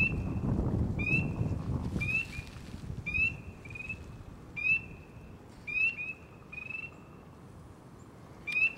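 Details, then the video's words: One frog, found after a long search, calls repeatedly from the water while ripples form around it. Quick rising chirps come at uneven intervals, some paired, over low-pitched rumble and handling noise. "Frog close-up ASMR"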